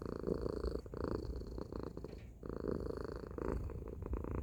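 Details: Domestic cat named Tacy purring loudly: a low, rumbling, continuous vibration that swells and fades in roughly one-second breaths, with a short pause near the middle.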